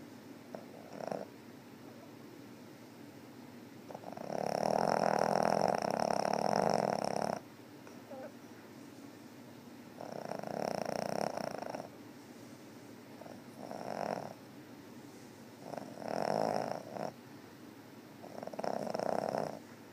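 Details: Cat named Meena snoring, recorded on 18 August 2013: breathy rasping snores in uneven bursts, a long loud one from about four to seven seconds, then shorter swelling snores every two to three seconds, in a quiet room.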